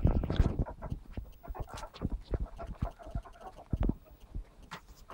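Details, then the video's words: Playing ferrets from a pet group, phone-recorded, giving quieter bouts of quick, uneven clucking pulses and soft huffs, separated by short pauses and light rustling. "my fuzzy ferret family playing"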